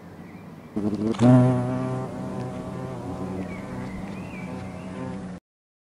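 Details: European hornets nesting in an old tree give a deep, steady droning buzz that swells loudly as one passes close.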